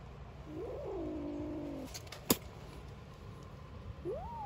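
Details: Three-week-old kittens from a litter of five, born in a small garden, give drawn-out, wavering mews that rise then sag, then a short upswung squeak; they also hiss and make odd noises at the person.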